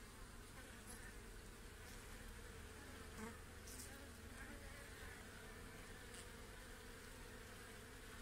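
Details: A steady, low drone of many honey bees humming together on an open hive frame with the queen during a hive inspection.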